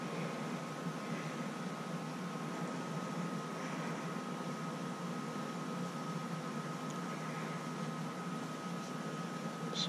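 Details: Quiet indoor hum with a steady tone and faint murmuring voices, ending in a short clunk.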